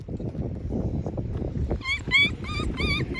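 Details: Ra, a one-eyed puppy whose injured eye popped out, due at the vet the next day for treatment, gives a rapid run of five or six short, high, whining yelps about a third of a second apart over a low rumbling background.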